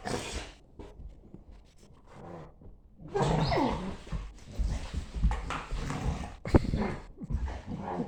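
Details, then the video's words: Morning play fight between a German Shepherd and a Staffy: low snarls and huffs build into a long, loud, continuous growling tussle with scuffling and panting breaths. "German Shepherd and staffy morning play fight and the weird noises they make"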